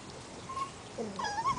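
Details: Portuguese Water Dog puppies, seven weeks old, playing outside; a short high whining yelp with clear harmonics, wavering near one pitch and then rising and falling in a quick squeal.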